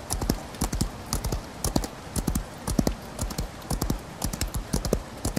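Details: Hooves of a horse galloping through rain drum out clear, evenly spaced bursts of knocking beats, each burst of several quick strikes, with faint rain noise underneath.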